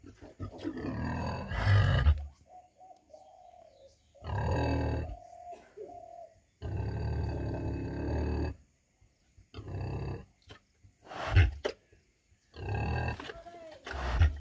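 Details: Heavy, growling grunts from a 100 kg female pig in bursts of one to two seconds, interspersed with a faint wavering squeal-like tone and occasional clicks.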